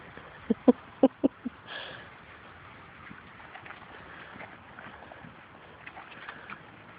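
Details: Labrador Retriever puppies from Grace and Sam's litter play outdoors and chase their mother, who is not interested in nursing. Five short, sharp yips come in a quick burst in the first second and a half, followed by soft rustling and a faint hum.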